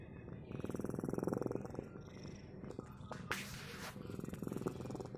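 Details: A cat purring with a low, rapid rumble that fades partway through, interrupted by a sharp rustling sound, then resuming softer with breathy pulses.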